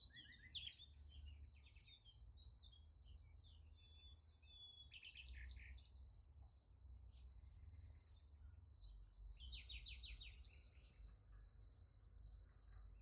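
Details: Crickets keep up a steady, high, ringing trill at night beside a sunflower field, with scattered bird chirps over a low rumble.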